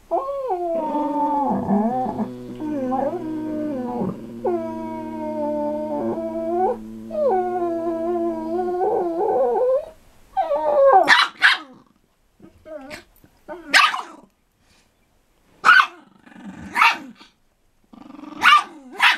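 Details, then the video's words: Two pet dogs, a 4 lb Chihuahua and an 80 lb Pitbull, growling together while playing: long sustained tonal growls with rising whiny edges for the first nine seconds, then short broken yips and snarls separated by pauses. "Growling dogs, Chihuahua and Pitbull growl in harmony"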